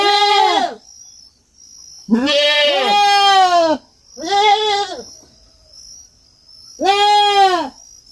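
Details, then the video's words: Young farm goat calling in four separate nasal, quavering bleats of varying length, some doubled with a second voice, quiet gaps between them and a thin high whine in the background. "cabrito berrando"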